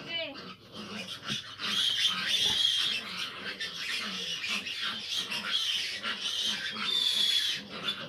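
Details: A litter of fifteen well-grown piglets, their mother sow having trouble nursing; shrill overlapping squeals hold steady and loud throughout, swelling in the middle, with a low voice faintly underneath.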